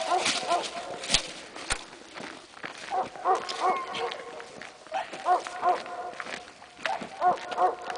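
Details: Young Presa Canario in protection work training, barking in steady paired bursts, roughly two or three barks per second with short pauses, alongside footsteps, a couple of sharp knocks and background voices.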